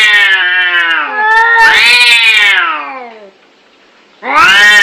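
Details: Angry fighting cats give drawn-out, strained caterwauls that rise and bend downward, swell into a louder harsh wail, pause briefly in near silence, then resume with another loud howl.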